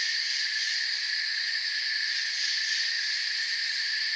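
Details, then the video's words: Crickets chirping together in a forest, an even high-pitched pulsing shimmer from many insects at once, constant volume and no gaps, no other animals or noises evident. "Forest Sounds and Crickets"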